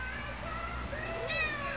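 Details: Domestic cat carrying his string around and talking to it like a baby, indoors; a short rising-falling harmonic meow near the end, following a woman's soft baby-talk voice.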